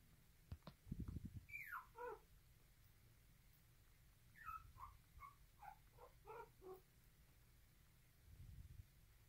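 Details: Poodle puppy, described as aggressive while nursing, giving thin whines that slide sharply downward, then a cluster of short squeaky yelps; low thuds and steady hiss in a small room.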